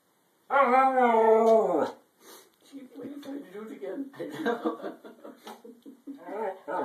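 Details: Female Siberian Husky indoors, complaining that she wants to go outside, during a happy dance: a strong, steady howl-like note of over a second that bends downward, followed by chattering, grumbling vocal mutters mixed with a person talking.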